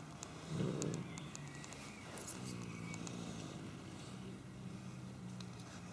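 A domestic cat gives a low, rumbling, sustained growl, deep and doglike in tone.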